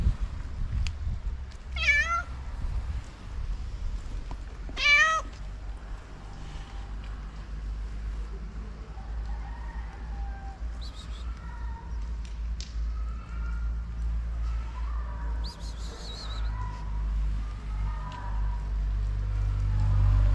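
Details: Abandoned street cat in Morocco sits against the walls to stay out of the rain, giving two clear, drawn-out meows early on, then falling quiet over a steady low rumble of background noise.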